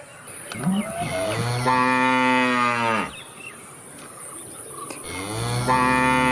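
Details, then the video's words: A cow moos twice: a long, loud, even moo of about a second and a half, then a second moo beginning after a pause, over a steady high electrical-sounding hum. "cow moo moo cute interesting cow moo video sound || cow sound effect"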